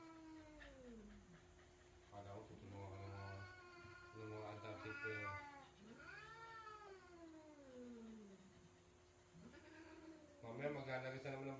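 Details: Two cats arguing indoors, an orange father cat among them, without hurting each other: long wavering yowls that slide down and rise again, overlapping growly wails, with a woman speaking and a hiss-like snort.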